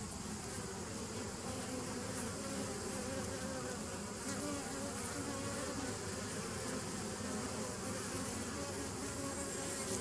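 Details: Bees on 27 September 2018 producing a steady, full-bodied humming buzz, the low drone layered with faint pitched bands and constant higher hiss, unchanging across the recording.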